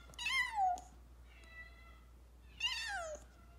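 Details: A rescued kitten that was nearly struck by a car meows insistently indoors: two strong, high, downward-sliding cries about two seconds apart, a softer steady mew between them, low hum beneath.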